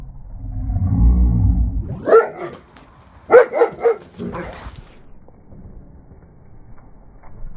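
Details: German Shepherds in a pack playing with a ball, slowed down: a low rumbling first two seconds, then a burst of deep, harmonic barks around two seconds, a quick cluster of three to four barks near three and a half seconds, and another near four and a half, then quiet.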